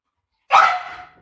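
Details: A single short dog bark from a Labrador or a Teddy during a patience contest between the two pets; one sharp, bright yelp that fades quickly, with no other sounds.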